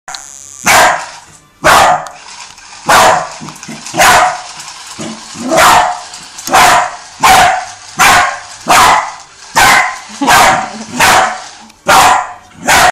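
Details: A Jack Russell Terrier playing with a remote-controlled toy tarantula barks loudly and steadily, sharp broadband barks roughly every second, about a dozen in all.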